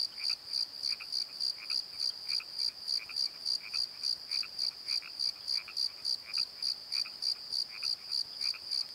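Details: Night chorus of crickets in a valley bottom: rapid, even high-pitched chirps pulsing roughly three times per second, accompanied by softer, lower croaks recurring in short groups.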